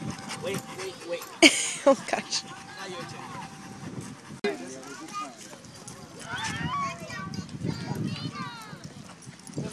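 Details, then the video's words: Pit Bull dog at a park giving short high whimpers and yips, several in quick bursts late in the recording, with people talking over it throughout and a sharp knock near the start. "Pitbull at the park"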